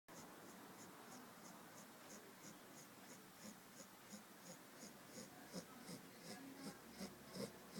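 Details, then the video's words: Eva, a sleeping two-month-old Labrador Retriever puppy, snores indoors: soft breathy rasps repeat about every third of a second, with low grunting puffs growing stronger toward the end in a quiet room. "Sleeping dog, Eva,Labrador, 2 moths, snoring, sleeping"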